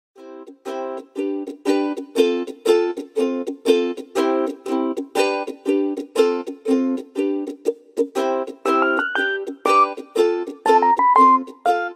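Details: Steady strummed chords, like a ukulele, with a few rising plucked notes and no animal calls.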